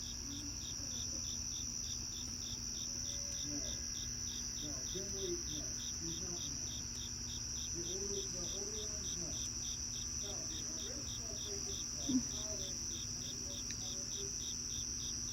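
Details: Crickets chirp on a cloudy evening in a steady, high, shimmering trill with a quicker pulsed beat woven through it.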